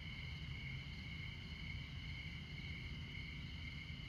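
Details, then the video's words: Crickets at midnight in Montana, in the far north of the continental USA. A steady, unbroken high trill holds two even tones through the whole stretch, over a constant low rumble of traffic on Interstate 94. "Midnight Montana Crickets"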